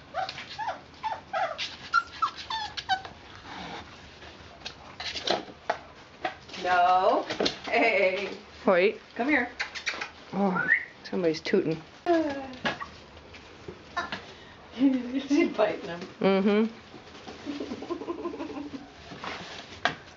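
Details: Puppies aged four weeks and four days, among them Mama Valentine and brother Hoyt, filmed on a March 18, 2013 afternoon: scattered squeaks at first, then long wavering whines and yelps in loud bursts, some drawn out, others clipped short.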